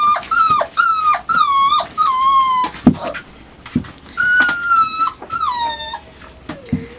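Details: Labrador Retriever puppies, five weeks and two days old, indoors in their night pen, exploring, biting and claiming a box while romping; repeated high whining whimpers, each with a sliding upper tone and falling tails, close together with short gaps and scuffling between.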